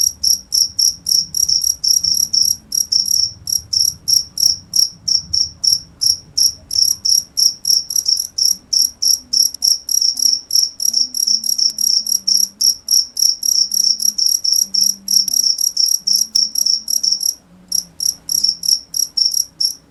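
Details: Continuous cricket chirping: sharp, high-pitched pulses about three per second, a brief pause near the end before the rhythm resumes, faint low rumble beneath.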